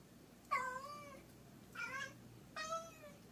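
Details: A grey tabby cat puzzled by a dragonfly meows three times in quick succession, each call a short, slightly descending, tonal wail, with a faint steady hum behind.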